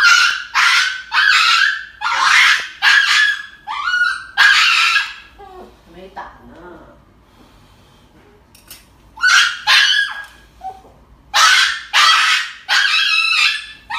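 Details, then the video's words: Dog getting an injection, screaming in harsh, broad yelping bursts repeated under a second apart, pausing briefly midway before starting again in loud, strained cries. "Funny Dog Injection videos"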